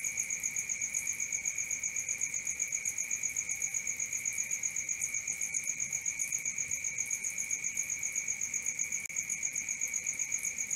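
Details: Crickets calling after dark, an endless ringing high trill in two pitches, its pulses rolling evenly at a quick, steady rate and nothing else heard.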